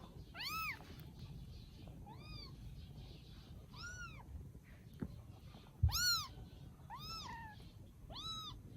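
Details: Quieter, thin meows from rescued kittens in Vietnam enjoying life after rescue, each a short rising-then-falling cry, about eight spaced through the stretch, with one soft knock midway.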